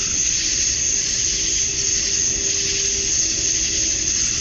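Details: At dusk on a Georgia summer night, male cicadas sing to attract females, making a continuous loud, high-pitched sizzling wall of sound topped by a thin sustained whine, with only slight pulsing.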